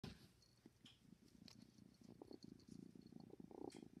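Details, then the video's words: Ten-week-old kitten purring loudly like a motorboat: a continuous low rumbling throb pulsing rapidly, with slight swells in volume and a few faint clicks above. "Kitten purring like a motorboat"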